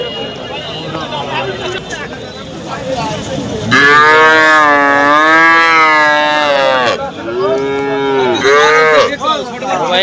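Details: Cattle lowing at the Hasukhali cattle market on a Friday in 2025: one loud, long harmonic moo of about three seconds, then a shorter moo, over traders' chatter and crowd noise.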